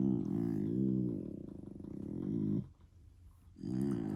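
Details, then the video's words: German Shepherd puppy making funny noises: a low, rumbling, pulsing grumble-growl that lasts about two and a half seconds, pauses briefly, then starts up again. "DOG MAKING FUNNY NOISES"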